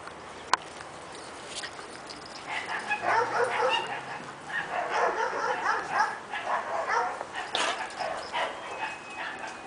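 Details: Two miniature Dachshund sisters, Junebug and Lil-bit, dressed as killer bees for Halloween, play-fighting indoors during a playdate: after a single sharp click, rough overlapping growls and yips swell from mid-clip, then taper off.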